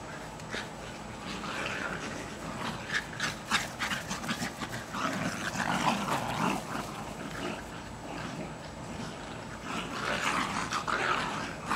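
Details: In a Lenexa, Kansas back yard on 14 July 2008, a pair of year-old Jack Russell Terriers play hard at tug of war, giving dense, gritty growls in fast, uneven bursts, louder toward the middle and end.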